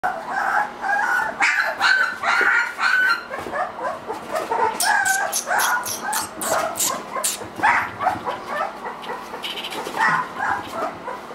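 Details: Three-week-old Irish Wolfhound puppies whimpering and squeaking together, overlapping high whines rising and falling in quick, irregular bursts, with scattered clicks and rustling.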